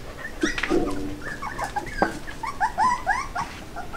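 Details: Border Collie puppies about one month old, filmed as the litter grows from birth to two months. Thin, high whimpering squeaks rise and fall in quick succession, with a few lower harmonic yelps near the start and faint background noise.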